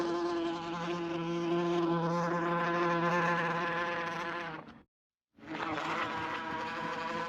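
A wasp's steady, droning wing buzz, low and rich, breaking off briefly before resuming.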